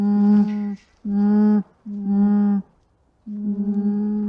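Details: Gentle humming from an alpaca: four low, droning tones of steady pitch, the last longer and slightly pulsing, with short gaps between them and no other sounds.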